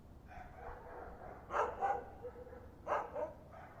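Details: Unseen dog, called an invisible dog, giving muffled barks: a quiet run of low woofs, then two close pairs of sharper barks about a second apart, over steady low-pitched background noise.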